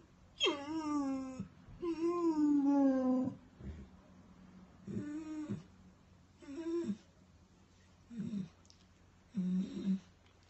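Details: Weimaraner dog crying indoors: two long falling whines followed by several shorter, softer whimpers spaced a second or two apart, with a low background hum.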